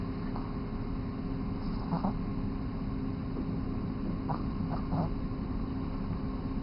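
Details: Mega Man, a 3-month-old Boston Terrier, snoring while asleep: short raspy bursts of breath sound come at irregular intervals a few seconds apart over a steady low indoor hum.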